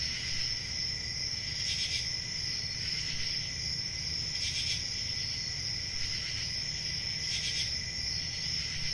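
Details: Summer-night forest crickets keep up a continuous high-pitched trill, with louder pulsed bursts at irregular intervals of one to three seconds and a faint low hum underneath.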